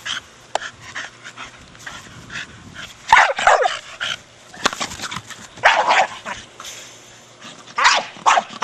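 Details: Brogan, a 4-year-old male Staffordshire Bull Terrier, plays with his big hard plastic ball, giving a few short, sharp barks in bursts spaced a couple of seconds apart, between quieter scuffling and knocking sounds.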